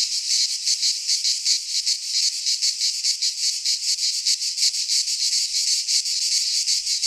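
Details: High, scratchy buzzing of cicadas in a Greek pine forest during midsummer, swelling and fading in slower loose pulses over a constant rasping background chorus.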